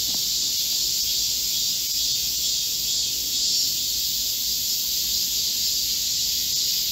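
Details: A chorus of Korean cicadas in a midsummer green forest during a heat wave, recorded 25 July 2024; many insects merge into one continuous high, sizzling drone of even loudness, with no other sounds standing out.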